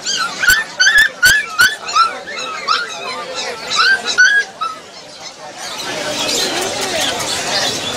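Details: Rottweiler puppy on Galiff Street: a string of high, short rising whines and yelps, about one every half second for five seconds, with sharp clicks, then fading into loud broadband street noise.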